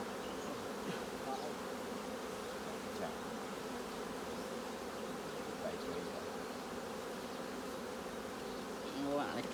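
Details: Honey bees at a hive during a honey harvest from fully capped combs: a steady, dense low buzzing drone holds throughout with little change in intensity. Faint human voices are heard only near the end.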